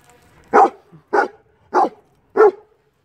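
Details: Six-month-old young German Shepherd, described as clever and mischievous, giving four short, sharp barks in a row, spaced roughly every two-thirds of a second, against a quiet background.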